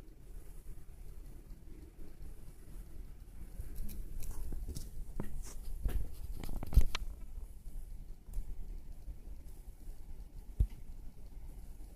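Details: Quiet indoor room with low rumble and scattered scratching and tapping, like claws or a pen on a surface. No animal call is heard.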